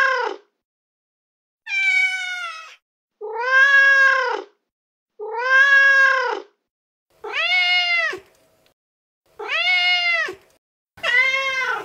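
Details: Repeated loud meows from a young male street cat calling a female in heat, seven arched calls spaced roughly every one and a half to two seconds, each short and strongly voiced.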